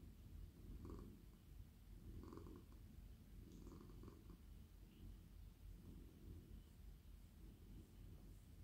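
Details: A friendly male domestic cat purrs in a lap at night while being stroked on the head, neck and body: a deep, rumbling purr that swells with each breath, roughly every one and a half seconds, with faint rustling of fur.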